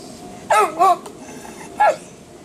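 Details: Ben, a dog in the water, barking: three sharp, high-pitched barks, a quick pair followed by a single bark after a pause, over a quiet, steady background.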